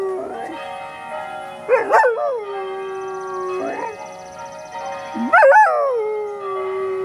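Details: An 8-month-old Berger Picard puppy gives short rising-and-falling howls, singing along with the steady ringing of church bells.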